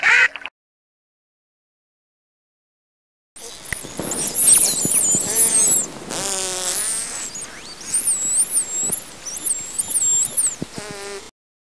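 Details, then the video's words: Dolphins calling: thin, very high looping whistles layered with buzzy pulsed bursts and scattered clicks. A brief sound at the very start is followed by a silent gap before the calling runs for about eight seconds. "Звуки и разговоры дельфинов/ Голоса дельфинов/ Дельфин голос"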